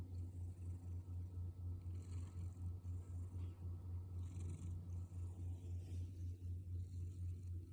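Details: Male orange tabby cat snoring noisily while asleep during a peaceful night at home; a steady low rumble pulses about four times a second without a break, with faint hiss in the background.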